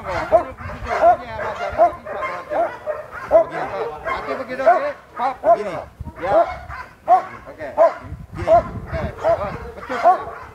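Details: Sport dog at Vom Almere Dog Training Centre, described as fierce, barking in short harsh bursts about once a second, with people talking loudly over it throughout.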